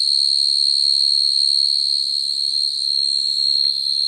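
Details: Field cricket calling naturally to attract females, a sound used for trapping crickets at night; a steady, unbroken high trill holds one pitch throughout, with a faint murmur of low background noise beneath.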